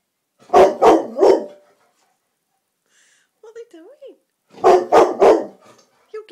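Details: Evening living-room scene of black Labrador Rossi confronting a silk orchid: a quick triple bark, a brief soft whining or human vocal sound in the lull, then another rapid run of three loud, rough barks.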